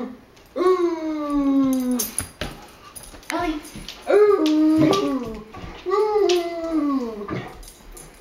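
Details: Great Dane bitch talking and singing along with her owner, giving four drawn-out, whining moans that each swell and then slide downward in pitch, with short pauses between and a human voice mixed in.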